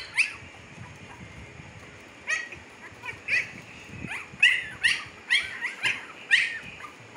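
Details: Siberian Husky pups aged 15 days, Pakistan, give only a couple of thin whines at first, then a dense stretch of shrill, downward-sliding squeals through the second half.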